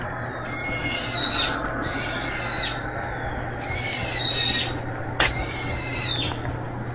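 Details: Street cat giving a run of high, thin, slightly falling mews, each about a second long and repeated roughly every one and a half seconds, over a steady low background hum.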